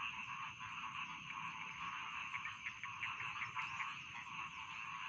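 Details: Many rice field frogs croak at once, giving a thick, buzzing, rattling chorus with quick irregular pulses and a faint constant high-pitched tone behind it.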